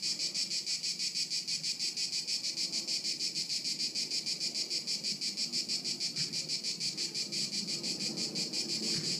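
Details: Haut-de-Cagnes crickets, 2013, keep up a shrill pulsing chirp, roughly three beats per second, steady throughout, over light wind-like background noise with a couple of faint knocks.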